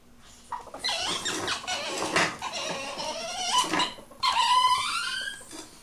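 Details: Ferrets mating indoors make a run of squealing, harmonic cries that rise and fall, broken by a short pause and then a longer whining squeal, all in a small room.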